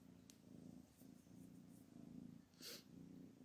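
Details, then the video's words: Domestic mother cat named Anna, angry and no longer accepting her kittens, purring in low, steady pulsing rumbles with a brief sharp noise burst near the end. "Anna, the cat's mother, is angry and does not accept her children anymore"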